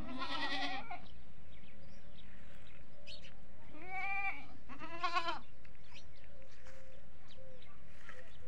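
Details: Goats at a goat farm with local desi goats and kids: a loud harmonic bleat opens, followed by two more wavering bleats near the four- and five-second marks, over steady low hum and scattered faint farm noises.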